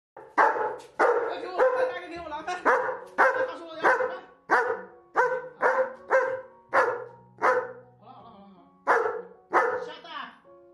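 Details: Pet German Shepherd dog scolding its owner indoors because she announced mealtime but brought no food; short, harsh grumbling barks burst out about twice a second, rising and falling in a rhythmic rant, with a steady background music tone and faint human talk.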